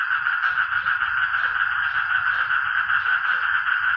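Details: Dense frog chorus at steady volume: many overlapping callers merge into a continuous throbbing buzz, with loudness swelling and dipping about twice a second, and faint lower croaks underneath.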